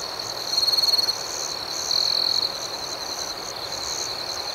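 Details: At night a close cricket delivers two distinctly pulsed, buzzy trills, each about half a second long, over a continuous background of high-pitched chirping from many more crickets.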